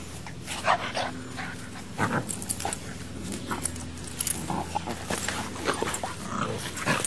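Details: Boxer puppy Max squaring off against Baby, a female English Mastiff, trying to be the new sheriff in town: scattered rough growls and bursts of barking amid scuffling, with a steady low hum underneath.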